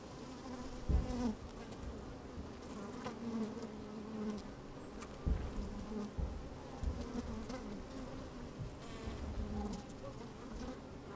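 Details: Honey bees working inside an open hive on a fine, sunny day, microphone slid down among the combs: a low steady hum with wavering buzzy tones, broken by sharp knocks and bumps around one, five and seven seconds.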